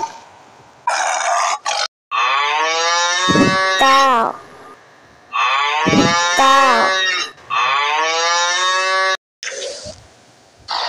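A cow gives three drawn-out, mid-pitched moos, each about two seconds long, separated by short pauses.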